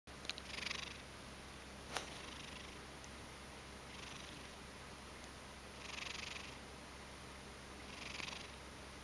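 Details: A half-asleep Ragdoll cat lying on its back indoors, giving soft breathy rasping sounds that could be snoring or purring, in long swells about every two seconds over a steady low hum.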